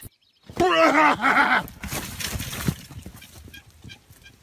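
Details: A fainting goat lets out one loud, strongly wavering bleat lasting about a second, followed by rustling and shuffling noises as it fades.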